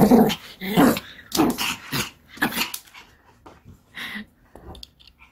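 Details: Kim Sarang, a pet Pomeranian, plays ball indoors during a home exercise session, giving rough, low growling bursts about once a second that soften toward the end, with a person's voice nearby.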